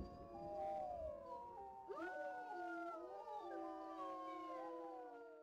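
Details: Wolf howling during a summer survey meant to confirm pack breeding: several overlapping, gliding tones rise, fall and cross each other in a layered chorus lasting over five seconds, over faint low background rumble.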